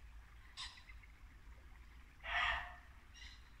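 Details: A muntjac deer gives a loud, harsh single bark, with fainter barks before and after, in Norfolk woodland at dusk in late winter, beside a babbling brook with pheasants and birdsong.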